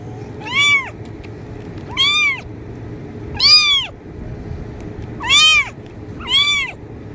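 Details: Kitten meows used to attract cats: five short, bright, arching cries at irregular gaps of roughly one to one and a half seconds, against faint low hum.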